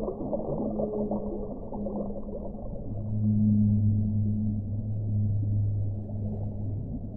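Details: Deep whale moans, a low droning tone swelling louder around the middle with a steady harmonic above it, held for several seconds over soft watery rumble.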